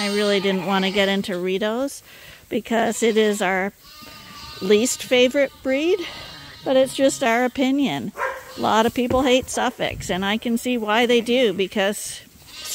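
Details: Hungry lambs at Ewetopia Farms, bottle-fed twice daily to supplement their mothers' milk, bleat in trembling bursts, several voices overlapping, with brief silences and a faint steady tone in between.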